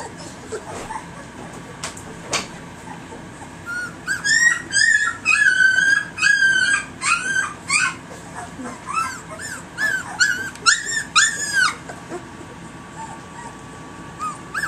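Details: Three-week-old puppies indoors, alert and beginning to bark at people for attention; a litter of high, rising and falling whimpers and yips in quick overlapping bursts, about two per second, with faint human voices.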